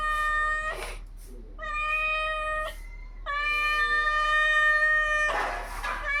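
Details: Cats in a 3 AM fight, long steady yowling wails with rich harmonics, several sustained bouts broken by brief hissing bursts.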